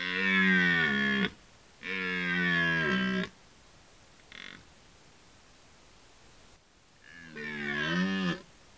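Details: A red deer stag gives long, deep, groaning roars, each over a second long, during the rut in a Polish forest.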